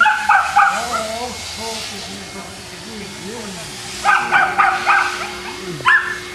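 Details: Barking Boston Terriers at a kennel in Jamundi near Cali, Colombia: a short pair of barks, a long stretch of soft low wavering murmur, then a rapid run of four sharp barks and one final bark.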